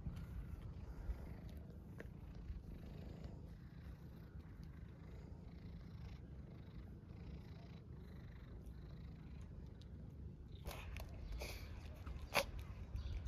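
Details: Homeless tabby street cat in Istanbul purring while asking for attention and food: a steady, low, throbbing rumble runs through the whole stretch, with a few sharp clicks and rustles near the end.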